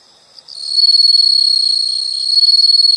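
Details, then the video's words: Insects in a nature sound recording: a continuous high, steady ringing trill that swells in after half a second and holds with a fine pulsing texture; no other sounds. "the sound of insects"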